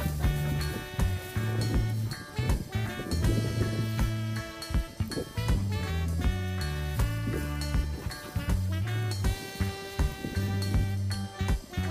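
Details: Upbeat swing jazz with drums, bass and brass plays throughout, and no animal voice can be heard.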